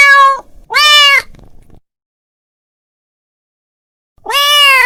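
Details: A male house cat calling his friend gives two quick meows in succession, then falls silent for over two seconds before a final long, rising meow.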